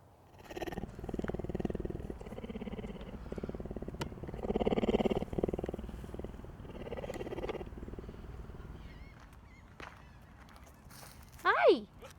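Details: Cougar (Puma concolor), a captive big-cat sanctuary resident, purrs in a steady, rumbling rhythm of low pulses that swell and fade in waves; cougars are the largest cats that can still purr and meow.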